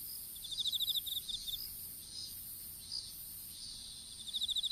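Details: Insects singing in a strawberry field during seedling planting, captured by a fallen smartphone: a fast series of high chirps opens the clip and another begins at the end, with a steady shrill background drone between.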